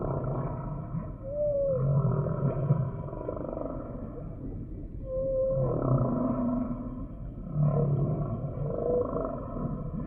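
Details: Humpback whale song from a sample: short tonal moans sliding up and down, broken by bursts of low rumbling grunts, with a steady underwater hiss throughout.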